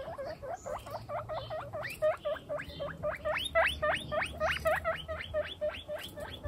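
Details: Domestic guinea pigs from a household group of 28, mostly females with two males, give a fast run of shrill, rising whistled squeals, about three to four per second, growing louder midway, over a faint low hum.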